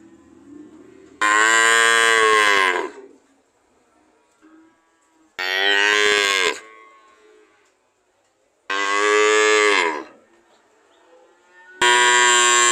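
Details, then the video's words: Cow mooing: loud, harmonic-rich moos about one to two seconds long, each with a slightly falling pitch, separated by quiet gaps; four calls in all. "Sound of cow"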